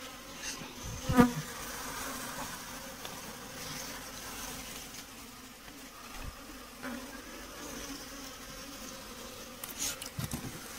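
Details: Honey bees at a beekeeping site, where bees are being caught: a faint, steady low hum with soft overtones runs throughout, with a sharp knock near the start and light scattered clatter.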